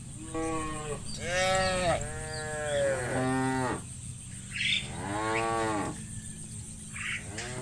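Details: Herded cattle crossing muddy rice paddies on the way to their pen bellow in a run of overlapping, loud, wavering moos, some rising then falling, with brief quiet gaps between calls.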